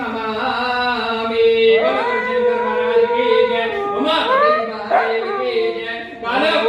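A husky gives long, wavering, sung howls that slide up and down in pitch.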